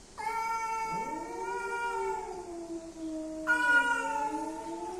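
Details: Male and female cats coming together to mate, giving long drawn-out wailing yowls with rich harmonics, one voice sliding upward as another holds a steady moaning tone, a second louder wail joining near the end.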